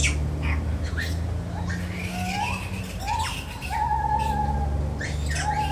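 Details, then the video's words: Lar gibbon in a zoo giving short rising whooping notes, several hooted upward slides spaced about a second apart, over a steady low hum and some background squawks. "Lar gibbon Monkey Sounds"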